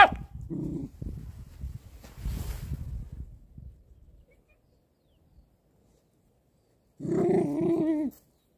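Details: Pet dog vocalizing: rough, low rumbling growls come in bursts over the first four seconds, then a pause of near silence, then a single long, drawn-out, tonal bark-like cry lasting just over a second.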